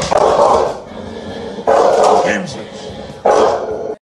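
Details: American Bully named Zeus guarding his house, giving three loud, deep barks spaced about a second and a half apart, each a short forceful burst with quieter room sound between.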